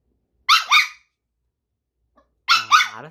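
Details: Female Bichon Frise, born December 2018, indoors, 'talking' when asked if she ate all the snacks: two paired bursts of high, whiny, yodelling yelps, each with quick up-down pitch bends, separated by a pause.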